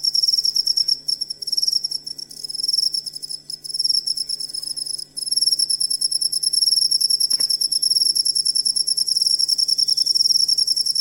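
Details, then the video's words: Jangkrik cricket sound used as masteran for songbirds: high, ringing pulsed chirps running continuously, with short gaps and loudness drops around two to five seconds before settling into an even rhythm. "Asli Ampuh Suara Jangkrik Buat Masteran Burung Kicau"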